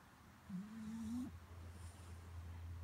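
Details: Louie, a pet French Bulldog, disturbed while trying to sleep, gives a single drawn-out low whine lasting almost a second, its pitch rising slowly toward the end, over a steady low hum in a quiet room.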